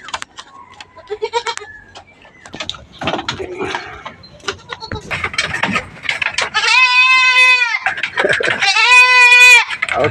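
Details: Backyard farm goats receiving vitamins and deworming treatment. After several seconds of speech and rustling, two loud, drawn-out, quavering bleats follow, each lasting about a second, with a brief pause between them.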